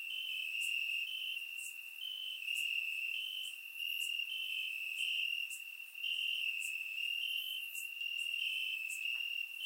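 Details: Crickets chirping in the grass on a warm summer night in Bulgaria, taken with a surround microphone: a steady, shrill high trill with brief brighter accents roughly every second, the loudness swelling and dipping slightly.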